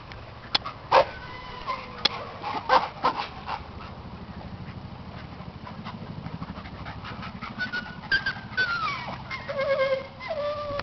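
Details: Dog during playtime, giving high thin whimpers and yips, some sliding downward, mixed with sharp clicks and knocks, then longer whining tones near the end.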